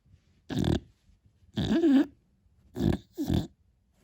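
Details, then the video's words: Beagle puppy asleep, making loud, throaty snoring bursts: four rough breaths in about four seconds, one carrying a brief squeaky, wavering whine in the middle. "Как спит милый щенок бигль 😴 Храпун Хрюкович"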